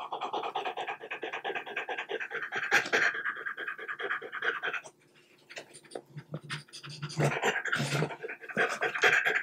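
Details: Indoor French Bulldog eating chilled cubes of boiled chicken breast; fast rhythmic huffing pants over several seconds, a brief quiet gap, then chewing and lip-smacking bursts mixed with renewed panting.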